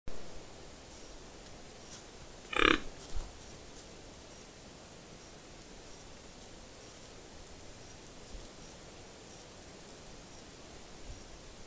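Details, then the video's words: A 4x4 white-tailed deer buck pursuing a doe on 30 November 2021 gives one sharp, breathy snort, a quick burst of forced air, to make his intentions clear. "White-tailed Deer (Odocoileus virginianus) Buck Snort"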